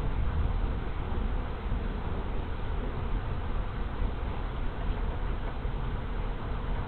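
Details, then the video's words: Big honey bee swarm moving into a hive in late March 2023, afternoon: an unbroken, even, low-pitched mass hum of wings, steady in loudness for the whole stretch, with no other clear sounds. "Honey Bee Swarm Moving In"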